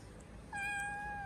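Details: Kitten playing a hiding and peekaboo game indoors gives a single thin, high meow starting about halfway in and held at a steady pitch to the end, after near silence.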